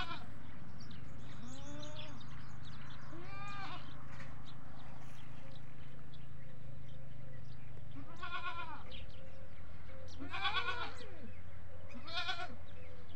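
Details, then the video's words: Farm goats, desi breed with kids, calling in a series: faint bleats early, then three clear harmonic bleats near eight, ten and twelve seconds, over a continuous low droning hum that shifts pitch midway. "Beautiful Bakri Ka Awaaz || Goat Sounds At Goat Farming"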